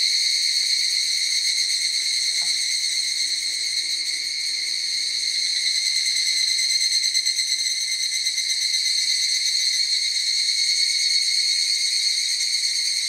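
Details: In a forest, a large group of evening cicadas (higurashi) sings together as a continuous, ringing, high-pitched buzz with a fine rapid pulse, holding steady with no other clear sounds.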